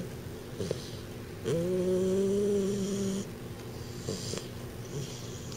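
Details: Sleeping 12-week-old American Bulldog puppy named Dr. Timothy Stuart, whose big overbite makes him snore; one drawn-out, low nasal snore with a whistling overtone in the middle, flanked by soft breathing.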